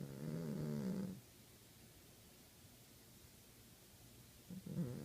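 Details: Snoring Savannah cat: one wobbly, low-pitched breath of about a second, a long near-silent gap, then the next snore starting at the end.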